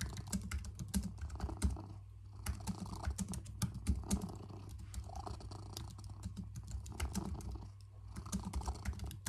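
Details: Domestic cat named Bob cuddling on a lap while someone works at a computer, a steady low rumbling purr throughout under constant clicking keyboard typing.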